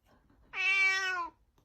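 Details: Domestic cat giving a single drawn-out meow of under a second, harmonic and steady with a slight falling end, in a quiet indoor room; a person asks whether it is stuck.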